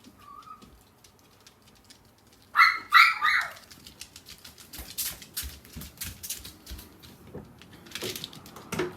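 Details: Older sister dog howling in reply to her younger sister's cry: a faint short whine early on, then a loud, harmonic, wavering howl of about one second that falls in pitch, followed by clicking and tapping noises indoors.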